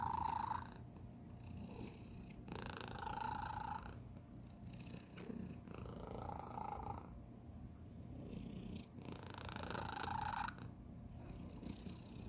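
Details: Young domestic cat purring in an unusual way, a continuous low rumble broken by short squeaky whistled notes on the in-breath, repeated about every three to four seconds, quiet indoor setting.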